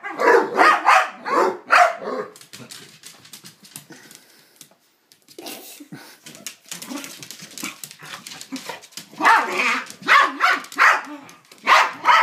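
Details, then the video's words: Psyche and Harvey, two dogs playing together and making strange noises at each other; rapid rough barks and growly yaps at the start and end, quieter scuffling and low grumbles in the middle, indoors in a small room. "Psyche and Harvey make strange noises at each other"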